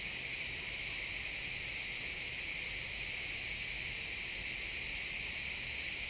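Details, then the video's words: Chirping crickets in pine woods at sunset, captured with an XY stereo pair without looping; a continuous shrill, even trill fills the upper range, constant in loudness, over a quiet low background hum. "Cricket sounds in the pine forest"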